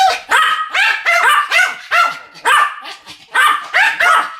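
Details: Two Pomeranians barking together as a duet, a dense run of bright, high yaps, roughly two to three per second, overlapping with each other throughout.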